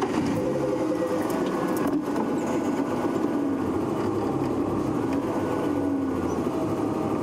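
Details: A steady vehicle engine rumble fills the clip with no animal calls.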